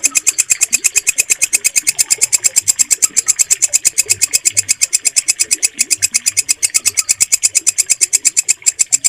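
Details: Walang kecek, an Indonesian bush cricket, calling nonstop in a clean recording intended for bird song training. High, metallic chirps repeat regularly, nearly three each second, with faint low background noise.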